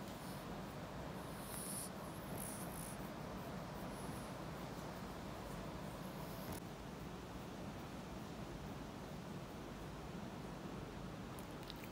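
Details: Steady, dense hiss of heavy rain continues unbroken, with faint higher rattling early on and no animal voice.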